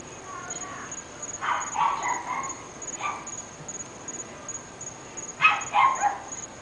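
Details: Three barking dogs in North Bay Village, unseen and heard across the neighbourhood: a cluster of rough barks, a lone bark, then a louder rapid burst of barking, with a persistent high whine throughout.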